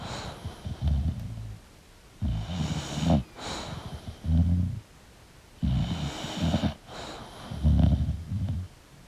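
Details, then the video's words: Sleeping English bulldog snoring: deep, rumbling, pulsed snores lasting about a second each, roughly every two seconds, alternating with soft airy breaths. "English Bulldog Sleeping & Snoring Sound"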